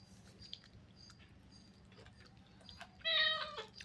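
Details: Indoor domestic cat with one brief, strong meow toward the end, bright and harmonic with a slight downward slide, over low room hum and light clicks.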